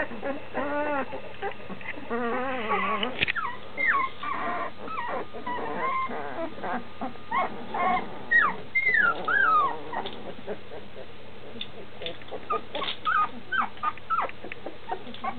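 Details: Nearly two-week-old standard schnauzer pups in a whelping box, wanting their mom nearby; wavering, quavering whines at first, then scattered high squeals and sliding yelps over a steady low hum.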